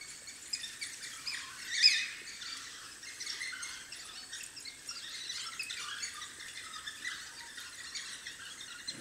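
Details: Several African wild dog puppies squeal and twitter near their den, with one loud rising squeal early on followed by a run of softer, high chattering notes against faint insect noise.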